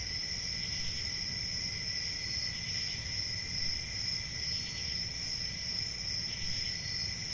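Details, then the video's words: A constant high cricket trill with faint pulsing chirps repeating about twice a second, over a low steady rumble. "1 Hour of Cricket Sounds"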